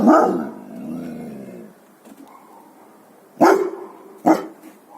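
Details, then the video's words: A guard dog lets out a long, drawn, growling bark that fades out, then after a quiet stretch two sharp, short barks follow in quick succession. "Dangerous Guard Dogs BARKING"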